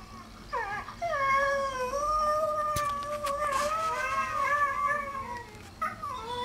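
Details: Rescue greyhound Benny howling in sympathy with his internet buddies: a long, steady, tonal howl holding one pitch with slight wavers, opening with a short rising note and ending in a brief higher cry.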